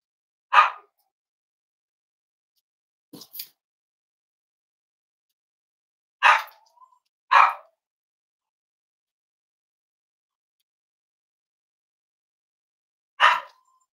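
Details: Cavalier King Charles Spaniel at a home raising emotional support animals, warm Friday morning, indoors; five short sharp barks scattered irregularly across the stretch with long silent gaps between them.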